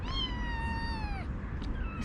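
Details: A kitten in a kitten cage gives one long, drawn-out meow lasting over a second, steady then dropping at the end, followed by faint high squeaks against a low background hum.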